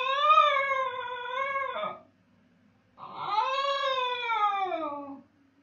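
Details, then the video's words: Howling basenji missing its absent owner: two sustained, slightly arching howls about two seconds long each, the second sliding downward at the end, in a quiet indoor room. "When Master is gone howling basenji"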